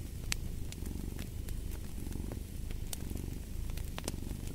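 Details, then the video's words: Low, even purring of a cat accompanied by a fire, the throaty vibration constant throughout and a few bright crackling pops from the flames. "Fall asleep to the Purring of a Cat & Fireplace"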